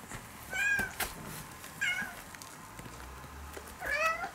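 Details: Former stray kitten, a brown-and-white cat now nearly a house cat, meows while hearing recorded cat voices; three clear rising-then-falling meows about a second apart, with faint background hiss.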